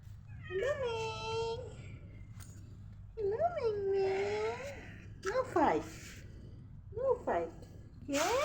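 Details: Cats indoors during a tense standoff, a person urging them not to fight: several wavering, bent meows and yowls in close succession, some harsh and noisy, with a person's voice and faint music in between.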